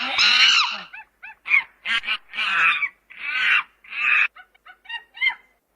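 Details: Monkey playing and screaming in its natural habitat: harsh, harmonic screeching bursts alternate with short, high squeaky chirps, about a dozen calls in under six seconds, with silent gaps and no other sounds.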